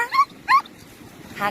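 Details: Samoyed dog at the beach in Sokcho, South Korea, ahead of tumor surgery, as the family prepares to leave; two short high whines in quick succession, followed by a person speaking.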